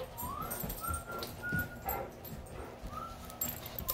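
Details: Great Dane that dislikes a measuring tape, whining softly in thin, rising whimpers, three separate whines over a few seconds, with a low background rumble.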